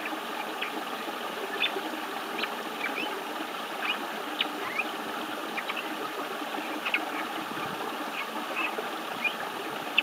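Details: Amami tip-nosed frog calling in a stream on 8 October 2012, giving brief, high, squeaky chirps scattered over the steady rush of the stream.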